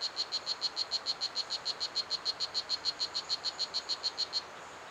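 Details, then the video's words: A strawberry poison dart frog (Oophaga pumilio), about 2.5 cm long, gives a fast, steady run of high, buzzy chirps loud enough to carry across a 3-hectare ecological garden. "The Song of Blue Jeans - a Poison Dart Frog"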